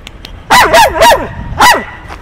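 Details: Dog named RauL giving loud, rich, wavering yelping cries, three close together then a fourth after a short pause, each bending down in pitch, with faint speech before.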